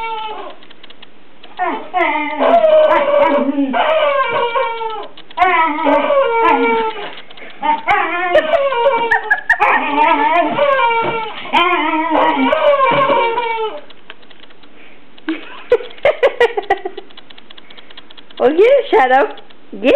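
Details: Border Collie playing with a new toy chicken named Henrietta, giving bursts of wavering, whiny, howl-like vocalizations that swoop up and down in pitch, in rapid clustered phrases separated by short pauses.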